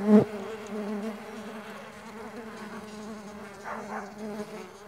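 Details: A short loud buzz as a Mandaçaia stingless bee passes close opens the recording, followed by a steady, softer humming drone of flying bees.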